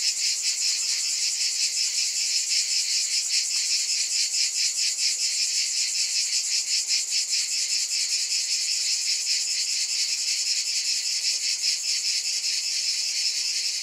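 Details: A shrill, unbroken cicada drone that beats in rapid regular pulses, the dense chorus staying level throughout.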